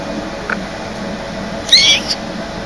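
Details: Indoor cat making a single brief, thin, high-pitched chirping meow, preceded by a soft tap, in a quiet room with low background hum.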